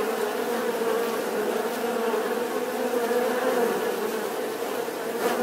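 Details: Bee buzzing steadily, a dense continuous drone centred in the low-mid range with layered overtones, level and unbroken throughout, like many wingbeats humming together.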